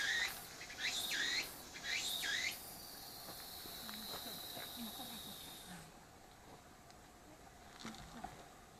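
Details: Cicada calling, taken with an apeman A80 near the pet dog Shiro: three quick rising sweeps, then a sustained high droning buzz lasting a few seconds before fading to quiet background with faint rustles.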